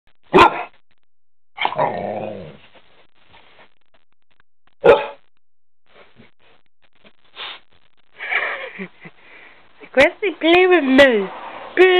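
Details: Deep barks from a pet dog trying to get another dog to play, sharp single barks spaced several seconds apart, with a person speaking in between and a burst of rapid barks near the end.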